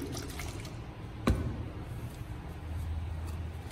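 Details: Faint liquid trickling and a single soft knock over low background hum, with no animal call.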